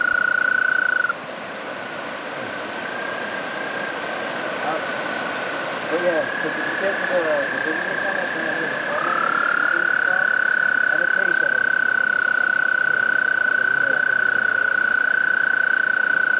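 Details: A frog singing along the Appalachian Trail on May 11, 2011 gives a long, steady, high trill that runs almost unbroken, pausing briefly before resuming.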